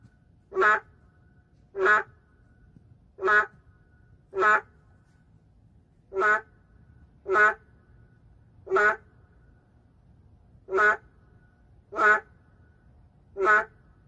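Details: City-dwelling boreal digging frog, an endangered animal, giving a steady series of eleven short, nasal, quack-like calls, one about every one to one and a half seconds, with a few longer gaps and little other sound.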